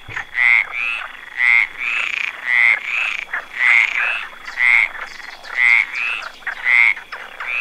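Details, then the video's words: A frog perched on a branch gives harsh, grating double croaks, each burst rasping and bright, coming roughly every second with a thin constant tone beneath. "Frog sound sitting on a branch"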